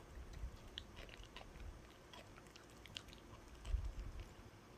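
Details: A pet dog gnawing on a dog chew indoors: soft low thuds with scattered crisp crunchy clicks, quiet and irregular, with a bigger bite near the end.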